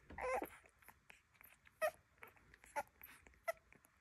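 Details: Young Rhodesian Ridgebacks being fed open with a brief wavering whine, then a few short, high squeaks spaced apart amid quiet shuffling sounds.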